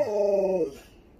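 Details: Sherpa, a pet Alaskan Malamute indoors beside a smart speaker, produces a brief tonal howl that holds level, then slides down and fades within about a second.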